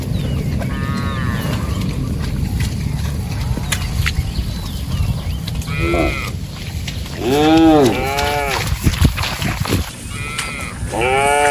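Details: Several cattle wandering and grazing in a rice field; a run of short arched moos in the second half, some overlapping, over constant low outdoor rumble and occasional clicks.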